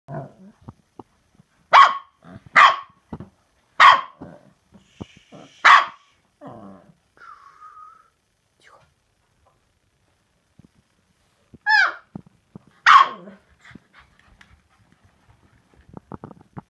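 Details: Young male Samoyed dog barking: four sharp barks about one second apart, a soft whine, a quiet stretch, then two more barks near the end with small clicks and faint rustles.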